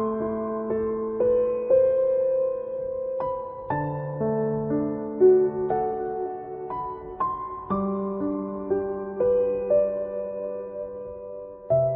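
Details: Gentle, slow piano music plays throughout in a soft, tender style, and no animal voices can be heard.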